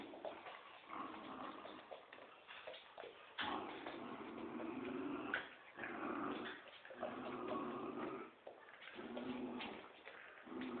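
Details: Dogs, a Poodle and a Dobermann, playing tug of war; broad rasping growls in uneven bursts with brief whimpering yips between pulls, and a short gap near the middle.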